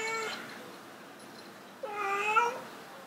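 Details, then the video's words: Domestic cats Bluey and Kage in a pyramid-shaped cat house, trying to mate; two drawn-out meows with clear harmonic bands, the first brief and level, the second louder and wavering, separated by a quiet pause. "Cat Honeymoon In The Pyramid Try To Mating"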